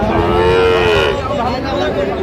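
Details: Sahiwal cattle at Raniganj cattle market, Ghoraghat, Dinajpur, Bangladesh, on a Thursday in December: one drawn-out steady moo lasting about a second, over loud market crowd noise and chatter.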